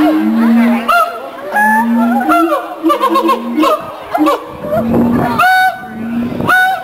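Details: A mated siamang pair at the Columbus Zoo sings a duet to establish territory and reinforce the pair bond: loud, honking barks over low, droning booms, repeated in quick bursts.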